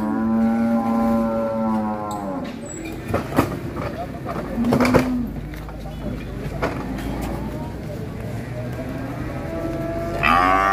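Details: Black sacrificial cow unloading from a truck and rampaging at Siyono Harjo market: a deep sustained moo lasting about two seconds, then a short low grunt, amid loud clatter, thumps and men talking nearby.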